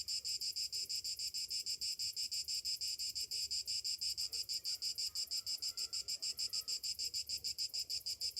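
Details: Morning cicada song in summer: an insistent, high metallic buzz beating in quick regular pulses, steady in loudness, with a few faint low sounds behind it.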